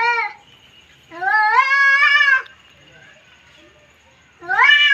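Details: Cats fighting, with sharp rising wails: a brief cry, then a long strained yowl held over a second, and a third rising cry at the end, plus a faint steady whine between them.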